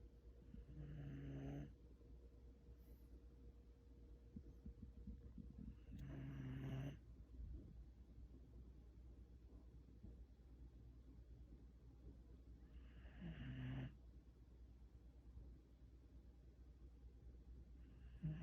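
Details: Sleeping Shiba Inu snoring loudly, likened to a human: three low, buzzy rasping snores, each lasting about a second, spaced roughly six seconds apart, with quiet breathing between them.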